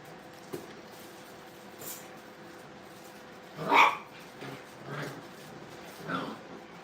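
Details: Brittany puppies at play in a training kennel, giving a few short yips and barks spread across the clip, one louder bark near the middle, over a quiet room hum.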